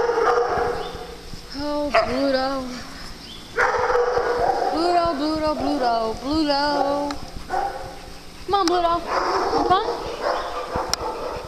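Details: Several dogs playing together on a farm produce repeated whines, yelps and squeaky, wobbling cries in clusters, interleaved with a person talking and occasional sharp clicks.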